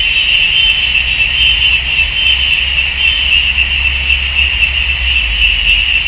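Cicadas hold a steady, high, shrill buzz that never breaks, over a faint low rumble.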